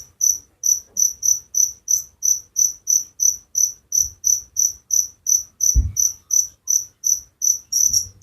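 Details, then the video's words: Cricket chirping as a relaxing sleep sound: high, bright pulses repeated about three times per second in a steady rhythm, with a brief low thump near the end and otherwise quiet background. "Suara Jangkrik penghantar tidur || Relaxing sound of crickers"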